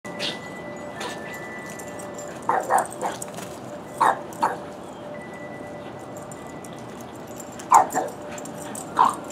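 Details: Puppy named Buster playing with Whiskey on Columbus Day 2015; short yappy barks and yips come in scattered pairs with gaps of a second or more, over a faint steady tone and light background hiss.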